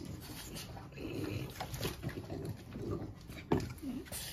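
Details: French Bulldogs Bubba and Doug in a bathtub during a bath, giving low, rough grunting and snuffling noises in short bursts over about four seconds, with a sharper snort near the end against faint splashing and a quiet indoor background.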